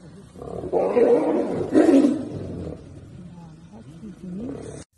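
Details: Wild tiger giving two strong rough roars in quick succession, each under a second long, followed by quieter voices of men speaking before the sound cuts off.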